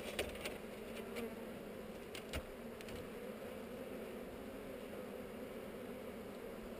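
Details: Hive inspection of honey bees on heather, filmed with a GoPro: an even, droning hum of a crowd of bees throughout, broken by brief clicks and taps near the start and after two seconds.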